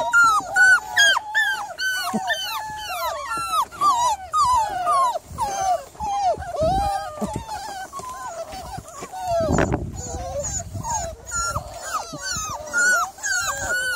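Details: Miniature Labradoodle, evening of 3 July, giving rapid, insistent whimpering yelps, more than two per second, each sliding downward. A single heavy thump is heard about two-thirds through.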